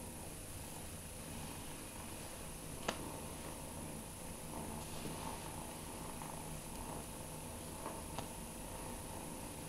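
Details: Shy foster kitten Fearghal, a former street cat caught near a McDonald's, playing indoors on his fourth day after capture; a soft, steady low purr rumbles throughout, with a few light clicks and taps and a faint high hum.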